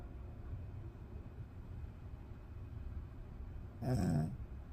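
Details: Sleeping dog snoring: a soft, steady low rumble of breathing, then one louder snorting breath near the end.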